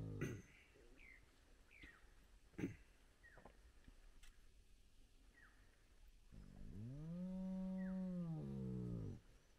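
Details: Spotted hyenas, a large wild clan gathered at their den with very active cubs at sunrise. Several sharp knocks and short falling squeaks come first, then one long, low, arching moan of about three seconds, swelling and fading.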